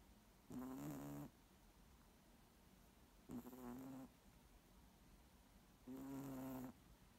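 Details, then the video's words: Moose snoring: three long, steady droning breaths about two and a half seconds apart, each buzzy and nasal, with quiet pauses between. "Snoring Moose"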